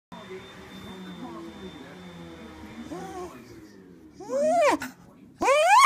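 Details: A female Cocker Spaniel lets out short, tonal, wolf-like howls that swoop up and down, with quiet indoor murmur earlier.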